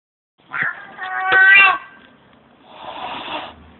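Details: Pet house cat lets out a strained, wavering yowl rich in stacked harmonics for just over a second, then after a short pause a breathy, noisy hiss-like burst; no other sounds.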